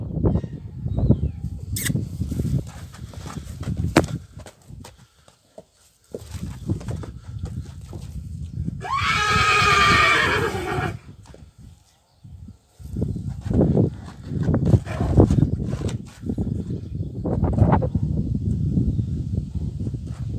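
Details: A stallion kept with foals gives one loud whinny lasting about two seconds, wavering and falling in pitch. Shuffling, hoof clatter and occasional human voices are heard before and after it.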